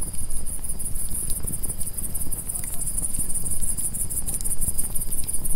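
Crickets trill in a steady, high-pitched shimmer over the low crackle and rumble of a fire.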